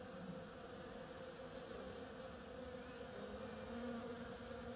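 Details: Continuous low buzzing of bees busy at oriental creeper blossoms. The drone stays level, with a slightly higher-pitched hum rising in briefly near the end.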